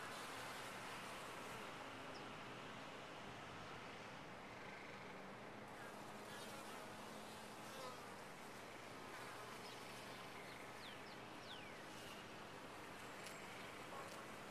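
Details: Steady massed humming of honey bees inside a top-bar hive, broad and unbroken throughout, with a few faint high sweeping tones near the end.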